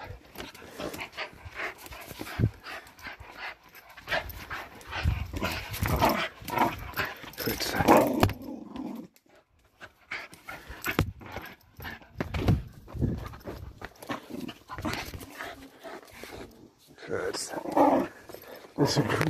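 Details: A 10.5-month-old Fell Patterdale terrier pup growls during a tug workout on old jeans: rough, noisy growls in bursts, a brief pause near the middle, then more growling, with a man talking intermittently.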